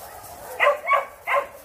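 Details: Young puppies, August 2021, giving three quick whining yelps with rich overtones, the first two close together and the third after a short pause, over a soft steady background hiss.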